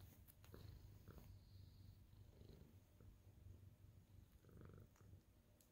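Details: Happy senior tabby cat kneading and purring on greeting its owner; continuous low throbbing purr with soft rustling and brief higher taps over the top.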